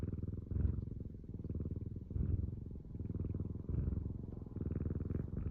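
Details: House cat purring close to the listener: a continuous deep, rattling rumble made of rapid pulses, growing slightly louder and softer in slow waves as the cat breathes in and out.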